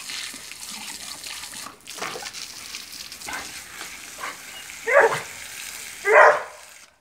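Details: Vizsla, a Hungarian pointing dog, giving two short harmonic yelps about a second apart near the end, after a stretch of running-water-like background noise.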